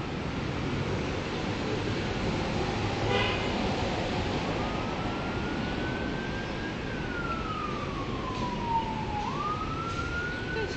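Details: Outdoors at a park, broadband traffic rumble fills the recording while a distant siren wails in slow rising and falling sweeps; no animal voice stands out.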